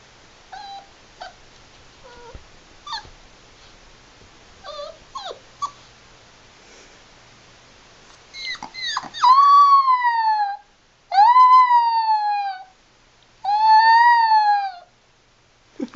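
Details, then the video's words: Seven-week-old Labrador Retriever puppy playing, first soft scattered squeaks and whimpers, then three drawn-out, rising-then-falling howls of one to one and a half seconds each, with a short yelp at the end. "Cute Labrador Puppy Playing & Howling"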